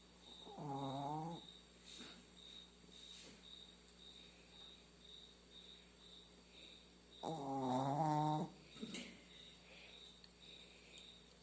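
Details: Sleeping pet dog snores twice, about six seconds apart, each a low, buzzy, droning snore about a second long with strong harmonics. A steady high insect-like trill runs underneath.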